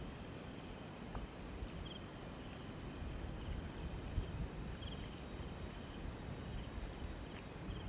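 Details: Crickets near a river keep up a steady, high, shimmering trill over a low rumble of background noise.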